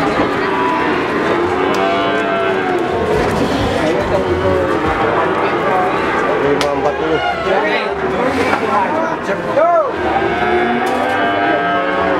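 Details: Cattle at the Pasar Sapi Pon livestock market in Ambarawa, Semarang, ahead of 2021: drawn-out, layered moos rise and fall over steady crowd chatter and market bustle, with a sharper rising call near the end.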